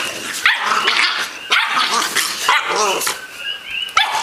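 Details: An 8-week-old American Bulldog puppy play-fighting with a 1-year-old dog, giving short harmonic yips and barks in quick bursts, with scuffling between them.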